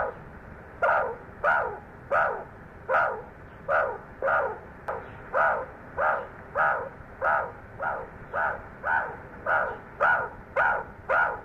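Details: Meerkats in a war dance, with a run of short, rasping, bark-like calls coming roughly twice every second in an even rhythm against quiet background.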